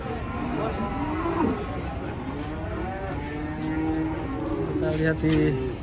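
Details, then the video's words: Raging cattle give long, wavering moos that rise and fall, one after another, over a steady background hiss. "SAPI NGAMUK"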